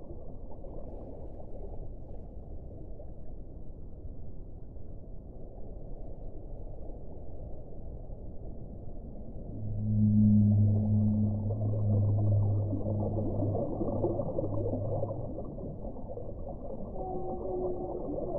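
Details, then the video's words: Whale sounds in a low, hissing underwater wash; after about ten seconds a long, deep, steady moan swells up with a fainter higher layer, fading by fifteen seconds, and thin higher tones appear near the end. "1 ora di suono delle balene"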